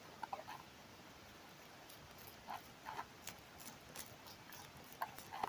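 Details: Tobacco hornworm (Manduca sexta) larvae feeding on tobacco leaves, reared at home in Germany in summer 2023, captured with a microphone held to the leaf; faint, irregular soft clicks and crunches in small clusters over a quiet hiss.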